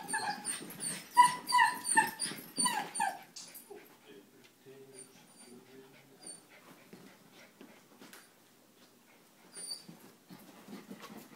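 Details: Sheltie named Rowan playing with a 9-week-old German Shepherd puppy indoors; a quick run of high, repeated yips and whines in the opening seconds, then quieter scuffling with a few faint squeaks.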